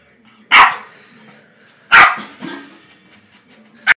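A Boston terrier gives sharp, explosive barks spaced about a second and a half apart.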